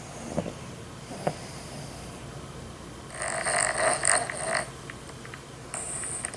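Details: Sleeping spaniel snoring, then surprised by its own snoring: two short breathy snorts in the first seconds, followed by a longer rasping, buzzy stretch lasting over a second, and a steady high-pitched tone near the end.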